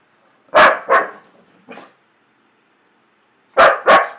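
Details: Cheerful pet dog Duda lets out two quick paired barks, a softer trailing yip, then after a silent pause another sharp double bark.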